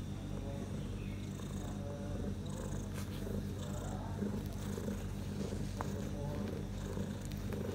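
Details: Purring from Bella the cat, six hours after giving birth in the evening to four kittens, three male and one female; a deep, continuous rumble pulses in regular beats about twice a second, with light rustling.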